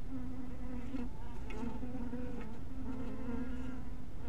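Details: Honey bees scattered around a small hive in twilight light: a steady, low droning hum with a strong harmonic stack, the pitch wavering slightly as individual bees pass closer, with faint clicks in the background.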